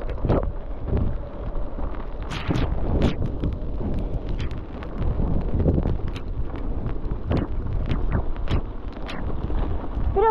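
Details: Gusty wind buffeting the microphone, with bursts of low rumble and scattered thumps; no animal voice heard.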